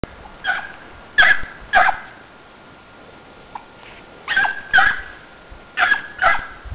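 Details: Dogs running, giving short sharp barks, mostly in pairs, with a steady faint tone in the background and quiet gaps between bursts.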